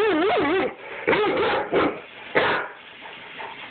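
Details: Irish Setter giving its owner attitude, recorded on a phone: a wavering, yodel-like whine rising and falling, then several shorter grumbling vocal bursts and a sharp yelp-like sound, with quiet room noise.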